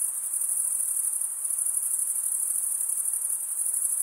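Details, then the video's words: Stridulating crickets chirping: a piercing, unbroken high trill with a rapid shimmering pulse, steady in loudness from start to end, with no birds, voices or other sounds around it. "Most relaxing cricket sound"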